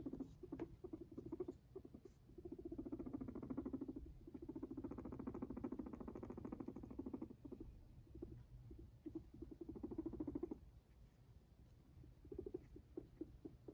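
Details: Walking pet Sheltie guinea pig producing a deep, buzzing, rapidly pulsed purr in several long bursts, the longest about six seconds, broken by quiet gaps filled with light footstep patter and small clicks.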